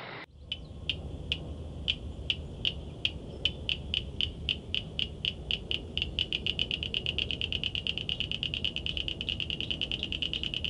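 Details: Frog or toad calling at night: sharp clicks that start spaced apart and speed up into a rapid, even series of ticks over about ten seconds, with a low background rumble.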